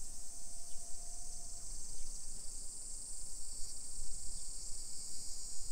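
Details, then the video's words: Summer cicadas in a hillside residential neighborhood of Nisshin, near Nagoya, Aichi Prefecture, Japan, at 1 PM on 28 July 2021: a steady, dense high-pitched drone that never pauses, with a brief faint tone early on and low street rumble beneath. "Summer Cicadas Sounds"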